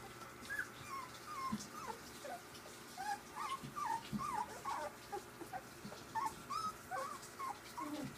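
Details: Ziva's three-week-old puppies play together, giving a busy stream of short high squeaks, whimpers and yips that overlap irregularly, several a second, over a faint steady hum.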